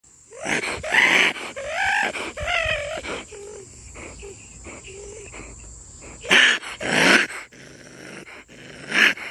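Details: A captive raccoon being put into its cage with its sister growls in harsh, raspy bursts mixed with whining, wavering cries.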